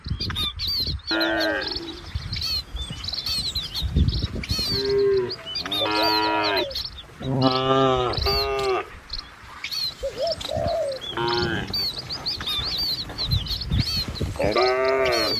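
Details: Several cattle driven down a countryside village road call again and again, with long, harmonic lowing moos coming every few seconds and sometimes overlapping, against steady high bird chirping.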